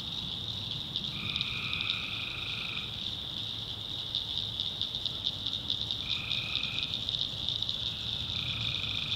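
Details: Tree frogs calling in a North Carolina swamp at night; three drawn-out droning notes sit over a high, steady chorus, with rapid rattling clicks pulsing through the upper layer.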